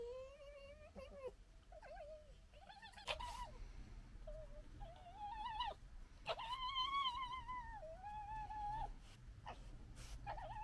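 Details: Red foxes of a local family group in fighting and general disagreement; drawn-out wavering whines and harsh bursts, some calls rising and holding steady with rich overtones, growing louder midway.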